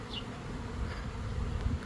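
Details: A honey bee swarm of several thousand bees, airborne after leaving a hive in an old hot-water heater core, makes a dense, steady, low drone of many wings beating together.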